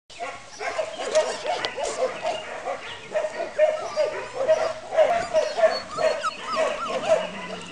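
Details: Litter of puppies aged four and five weeks, from Copy and Peach, whimpering and yipping together in a dense overlapping chorus of short high whines, with human speech and background music mixed in.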